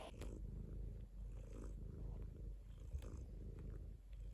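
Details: Domestic cat purring steadily, a low continuous rumble with soft rhythmic pulsing as it breathes, broken by a few faint clicks and rustles.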